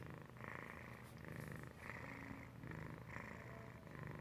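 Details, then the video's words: Sleeping domestic cat named Felix purr-snoring; low vibrating purr rises and falls with each breath, roughly five breathy cycles, each with a hissing upper edge, in a quiet indoor setting. "Felix purr-snoring"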